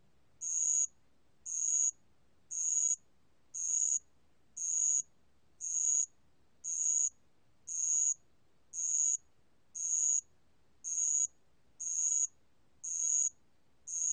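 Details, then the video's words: Bell cricket song from a 2020 national biological resources recording: a long, even series of short, bright, high-pitched ringing bursts spaced about one second apart, over a quiet background. "알락방울벌레, 여러번 듣기, 곤충소리"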